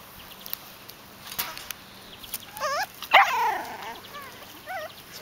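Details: Puppies in their seventh week at a kennel, being coaxed along during breeder training on a pond bridge and swing. Several wavering, warbling whimpers and a louder yelping cry in the middle, with a few soft yips around them.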